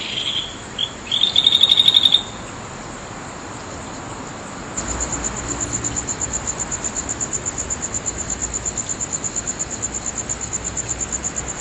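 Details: Insects calling on a full-moon night in Naze, Nagahama-cho, Amami City, Amami Oshima, Japan, late on 13 August 2011. Brief tonal chirps come first, then a steady, high, pulsed trill repeating about four times per second.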